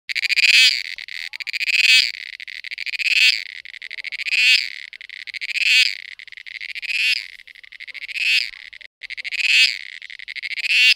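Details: Cicada mating call: loud, high, buzzy pulsed phrases that swell and fade, repeated about every 1.3 seconds, nine in all, with one brief break late on; no other sounds.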